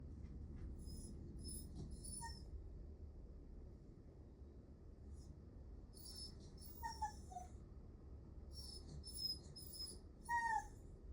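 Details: Miniature Dachshund Nel giving plaintive, affection-seeking whines: short high tonal cries that slide downward, a pair near the middle and another toward the end, over a low steady background hum with some higher rustling bursts.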